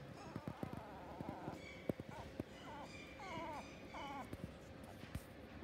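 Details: Toy poodle at a pet shop in Fuji, giving a few short, bending whimpers and whines, some rising then falling, clustered in the middle, over scattered clicks, taps and low room noise.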